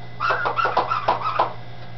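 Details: Dachshund puppies in Campinas, São Paulo, happy in their new home, give a quick run of thin, high whimpering squeaks over a low steady hum.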